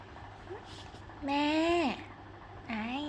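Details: A cute pet cat gives one loud, drawn-out meow that rises slightly, then drops sharply at the end. A shorter, softer meow curls upward just afterward, over a low steady hum and faint background chatter.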